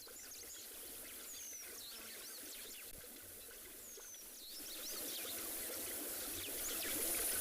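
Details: Lions, including young cubs, lap water together at a waterhole on an afternoon safari in a South African private game reserve, 27 February 2021; a steady wet rhythm of about one and a half laps a second, with a blacksmith lapwing and other birds chirping and whistling overhead.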